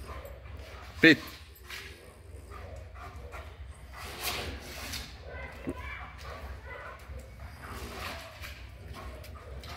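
A German Shepherd gives a single loud, sharp bark to defend its territory, with quiet voices behind.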